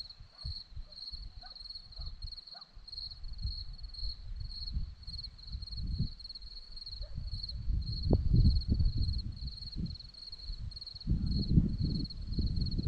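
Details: A cricket chirps steadily in high, pulsed bursts on a hillside at Zorlesti, Romania, against a low rumble of wind and rustling.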